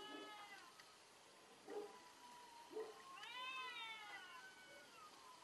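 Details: Cats in a fierce fight give rich harmonic yowls, a long wavering moan, two short thumping bursts, then a rising, quavering howl that slowly falls away, steady and loud throughout.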